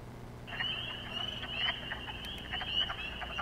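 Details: On Long Island, many spring peepers call together at a vernal breeding pool in spring, their high, piercing peeps blurring into one continuous shrill ring, with fainter lower, clucking quacks of wood frogs, also breeding, beneath them.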